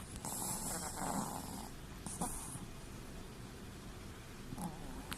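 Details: A sleeping Chihuahua with its eyes rolled back, snoring sweetly: a raspy, breathy snore with a hissing high edge runs for well over a second, then a second shorter rasping breath follows after a pause, over soft low room rumble.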